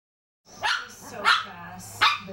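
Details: Three-year-old Shih Tzu barking at cheese: three short, sharp yappy barks spaced about two thirds of a second apart, indoors and fairly quiet between them.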